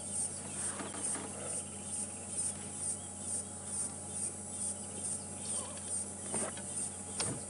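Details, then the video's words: Insect noise at an evening safari sighting at Djuma and Arathusa, South Africa, on 11 December 2014: a high, thin rasping pulse repeating roughly every half second, steady throughout, over low vehicle rumble with faint voices and clunks. "for those of you who are new to us, that's just an insect you can hear, nothing wrong with the audio."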